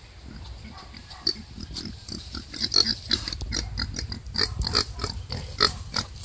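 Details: Wild boar sow struggling while giving birth: a dense run of short, sharp, clicking grunts and snorts, several per second, irregular and fairly loud, with no other clear sounds.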